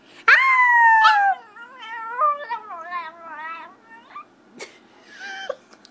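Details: Puppy howl opening with a loud rising-then-falling wail, breaking into a wavering, quavering series of shorter warbled notes that fade, then a final brief whine.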